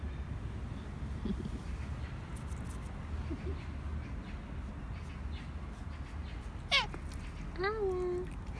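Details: Korean shorthair cat at home, one of three housemates, begging for more treats after getting a churu when its owner came home; one short falling harmonic meow near the end after a sharp click, with quiet room noise.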